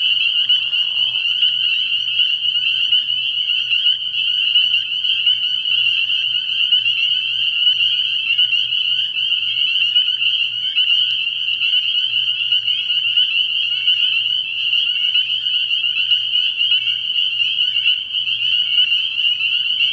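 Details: Steady, piercing chorus of numerous spring peepers calling from a frog pond on an early spring night, an unbroken high ringing that holds level throughout, with one short, lower, rough burst at the very beginning.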